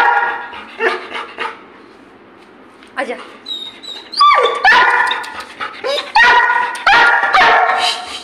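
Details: Labrador Retriever being playful and mischievous at home, giving a few short sharp barks and yips in bursts, mixed with a woman's Hindi speech coaxing it to come and play.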